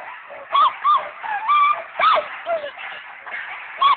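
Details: Malamutes at the stake-out giving scattered short yelping barks, a few loud ones standing out over a continuous murmur of other dogs calling.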